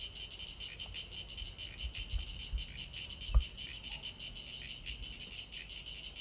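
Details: Sulphogaeana cicada, its tymbal organ on show, producing a steady high buzzy pulsed song beating several times a second, with a bird's thin warbling whistles drifting over it and a few low thumps.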